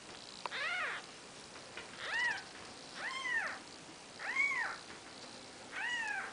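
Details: Four-day-old Maine Coon kittens of the 'Seven Dwarfs' litter beside their mother Nikita: five thin, arched mews rise and fall, roughly one every one and a half seconds, over a steady background hiss.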